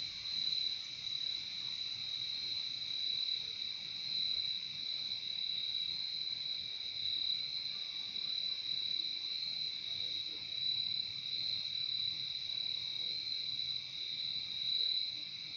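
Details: Insect chorus of crickets recorded outdoors for calming listening, an unbroken shrill ringing that stays even for the whole stretch, layered high tones pulsing slightly, with soft low background hum.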